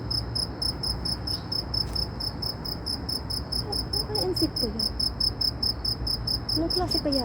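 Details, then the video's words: Loud insect calling in Saudi Arabia: a shrill, high-pitched pulsed chirp repeated steadily about four times a second throughout, with faint human voices murmuring in the background. "ANONG INSEKTO KAYA ITO ANG LAKAS NG HUNI / TUNOG NG INSEKTO"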